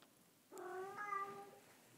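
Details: Bengal kitten sitting in a lap while being petted gives a single drawn-out meow, harmonic and slightly rising then falling over about a second, in a quiet indoor room.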